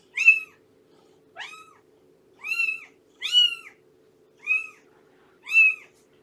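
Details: Six short, shrill meows, some with a sharp upward start, come at irregular intervals of about a second from cats in a foster home with Shelby, a rescued mother nursing kittens; steady low hum behind.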